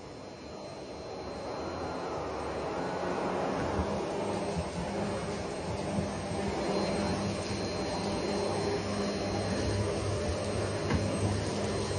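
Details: A steady broadband mechanical roar, like a vacuum cleaner, runs throughout and gradually grows slightly louder, with no animal voices standing out.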